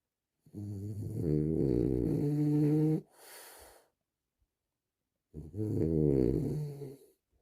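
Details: Relaxing French Bulldog snoring: a long, wavering, rumbling snore with a breathy exhale, a pause, then another rough snore of about two seconds.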